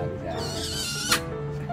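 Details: A hyena at a combined zoo and aquarium gives a brief, high, whinnying cry with wavering pitch over background music.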